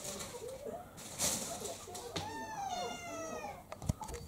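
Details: Indoor scene of Ponko, a fox-faced female mixed-breed cat aged around three to four, attacking housemate Kou-chan. One long, strongly harmonic yowl swells and bends downward after a soft murmur, framed by rustling, bumps and a sharp knock near the close.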